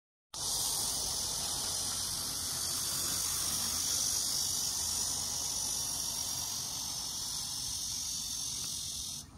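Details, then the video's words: Cicada song as a steady, dense, high-pitched buzzing drone that holds unbroken at an even loudness for about nine seconds, with no other clear sounds. "이제 듣기 힘든 매미소리"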